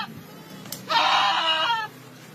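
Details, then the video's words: Goat under attack by an anaconda gives one loud, strained, wavering bleat lasting under a second, rich in harmonics, rising sharply out of a quiet background and then cutting off. "Anaconda snake attack a goat"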